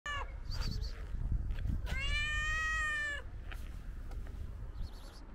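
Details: Tuxedo cat meowing while being petted: a short chirp-like call, then one long, steady, drawn-out meow lasting over a second, followed by faint fainter calls, over constant low rumbling handling noise.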